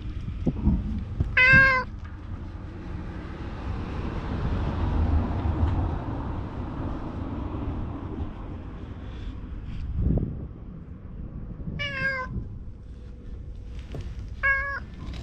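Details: Talkative stray cat in a deserted Japanese shopping street, letting itself be petted, gives three short harmonic meows spaced several seconds apart over steady low outdoor rumble and a passing vehicle-like hum.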